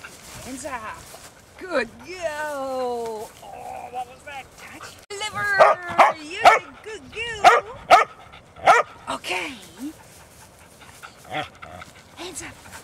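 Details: Huntaway dogs on a Sunday walk with their owners: a stretch of talk and whining, then a burst of loud, harsh barks roughly twice a second, easing into scattered yips while a person keeps speaking.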